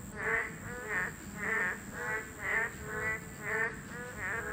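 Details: Boreal digging frog, a Class II protected species, calling at its breeding habitat: nasal, honking notes with rich overtones repeated roughly twice per second in a steady series, with a faint constant high hum behind.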